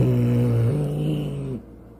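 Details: A domestic cat gives a low, slow, sustained growl through a barely open mouth, stepping up in pitch. It is defensive aggression just before a fight, sometimes given on spotting prey, meaning 'don't touch me'.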